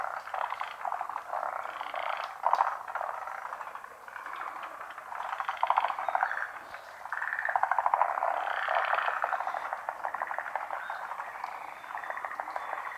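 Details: Frogs in full chorus at a pond in Japan, overlapping rattling croaks swelling and easing, a brief dip in loudness near four seconds before the calling builds again.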